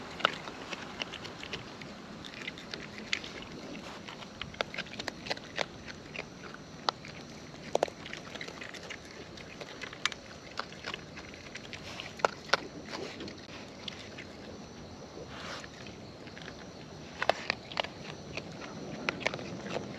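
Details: Wild raccoons eating at close range, steady wet chewing with dense irregular crunches and sharp clicks throughout, occasional louder snaps standing out from a soft outdoor background hiss.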